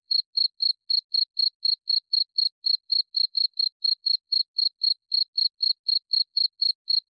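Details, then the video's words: Steady cricket chirps for falling asleep to: a long unbroken run of sharp, high-pitched pulses, roughly four each second, clean and isolated with nothing else audible. "Suara Jangkrik cocok untuk teman tidur"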